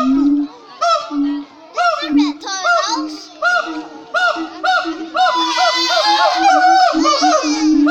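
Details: Siamangs calling loudly in full voice at Cotswold Wildlife Park: repeated rising whoops and booming notes, overlapping and building into a dense, frantic chorus of shrill hooting calls.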